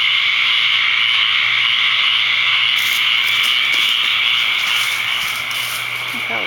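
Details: Tree frogs massed at a second pond in Ocala, Florida, calling to mate the evening after the first heavy rain of the season, May 6, 2010; steady loud high-pitched droning wall of calls, a brief crackle and faint voice near the end.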